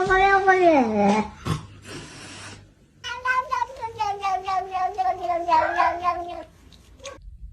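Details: Domestic cat from a comedy compilation of unusual cats: one clear meow sliding downward, then a run of quick, pulsing, chattering yowls held at a steady pitch for about three seconds, with brief noise bursts in between.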